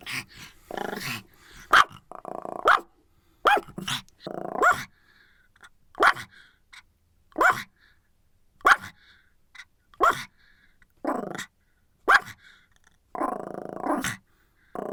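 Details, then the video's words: Pomeranian barking in a run of short, sharp yaps, about a dozen in fifteen seconds, some in quick pairs, mixed with brief throaty growls between the barks. "Pomeranian Barking and Growling"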